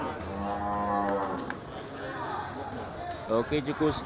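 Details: Large local cattle at the Geurugok animal market on 29 March 2022, in the final week before Ramadan: a low, steady, droning moo lasting about a second and a half opens, then market chatter and short bursts of human voices follow.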